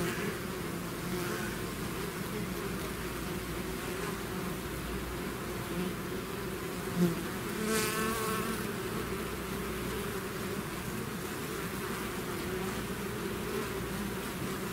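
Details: Swarming bees leaving their hive make a thick, unbroken droning hum; around the middle a single insect passes close, its sharper whine briefly rising over the crowd of wingbeats.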